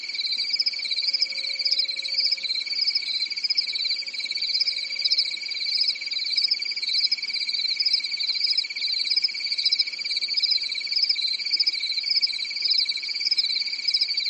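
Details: Night-time forest crickets in a European summer, chirping in a continuous high-pitched chorus: a rapid wavering trill over a steadier lower whine, with a faint low hum in the background.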